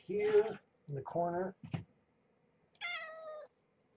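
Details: Morning feeding time for rescued mother cat Marge and her walking, playful kittens: human talking fills the first half, then one clear, steady meow lasting over half a second.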